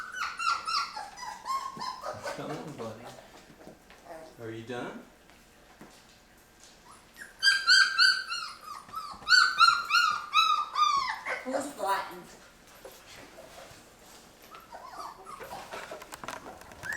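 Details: Young Labrador retriever pups of Mocha's litter at day 23, starting on puppy food: loud, harmonic-rich whines and yelps that slide up and down in bursts, with quiet gaps between them and a human voice audible in the background.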